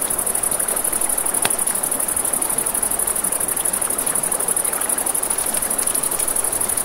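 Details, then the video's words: Crickets chirp in a rapid, finely pulsed high trill at night near a river, continuous across the whole stretch, with river rush and a single loud crackle of campfire wood. "Crackling Fire, Crickets, Ambient Nature Sounds"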